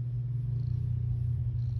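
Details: Ginger cat purring, a low steady rumbling drone throughout, close to the microphone.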